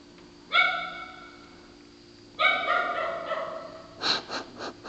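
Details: Dog barking in a hoarse, honking way likened to a sea lion: two drawn-out harsh barks about two seconds apart, followed by a quicker cluster of shorter, rougher barks, with a steady low hum underneath.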